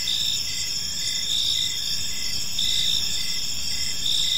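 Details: Crickets chirping on an evening in a peaceful park: a dense, steady high-pitched trill with several layered bands, pulsing in short regular bursts, over a faint low rumble of background noise.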